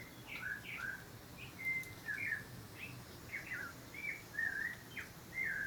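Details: Several squirrels romping near midday in springtime, described as laughing joyfully; quick bright chirps and short whistled slurs come in loose bursts, one flat whistle standing out, over a low rumbling ambient hum.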